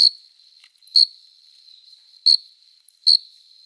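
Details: Adult male cricket stridulating with its forewings, giving piercing high chirps spaced about a second apart over a faint continuous high hum.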